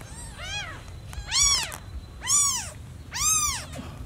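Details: Newborn kitten meowing loudly for its lost mother: four high, arched, harmonic-rich meows about one second apart, each rising then falling, over a low background hum.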